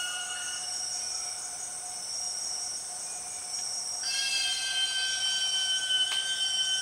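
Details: Empress cicada in the Borneo rainforest, one of the 6 o'clock cicadas heard in the afternoon. A loud, steady, whistle-like tonal drone with stacked overtones jumps abruptly higher partway through, over a constant high hiss of other insects.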